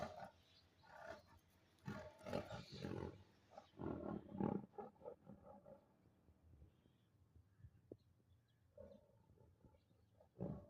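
A Bengal tiger gives deep, rasping roars and growls in bursts, then falls quiet.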